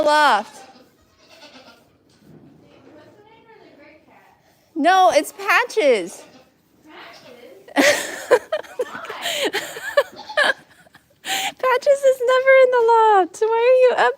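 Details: Goat bleats heard on a live stream from The Willful Goat Farm & Home: a brief call at the start, a bent, wavering bleat around five seconds, and a long, trembling series near the end, between bursts of talking and laughter.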